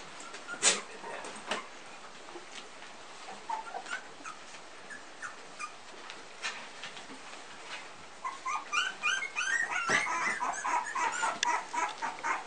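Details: Litter of three-week-old Pumi puppies indoors; scattered soft clicks and rustles at first, then a burst of high, thin squeaks and whimpers from several pups in the last few seconds.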